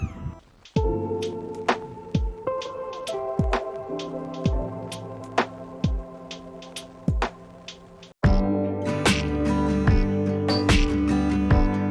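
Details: Instrumental music with plucked, bell-like notes and sustained tones plays throughout, with a brief break near eight seconds and no animal sounds heard.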